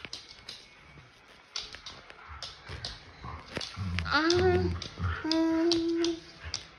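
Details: Border Collie indoors with a boy. After low muffled voices, a dog gives a sharp upward-sweeping whine followed by a long, steady, high whimpering tone, with a brief low grunt beneath.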